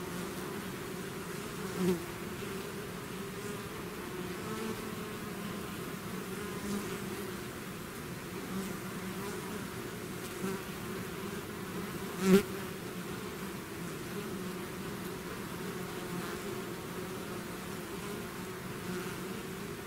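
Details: Constant drone of a bee swarm leaving its hive, low steady hum layered with many wingbeats, with occasional sharp louder buzzes as individual bees pass near, notably one around the middle.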